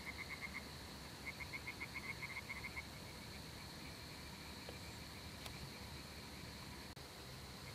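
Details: Balkan spadefoot of the nominate subspecies Pelobates balcanicus balcanicus, Greece, one of three individuals, giving faint rapid trains of short clicking pulses in two bursts over the first three seconds, against steady background hiss and hum.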